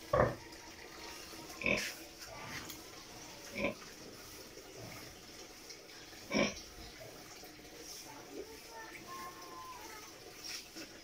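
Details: Domestic sow close to giving birth: four short, sharp grunting bursts at irregular intervals over about eleven seconds, separated by quiet low background hiss.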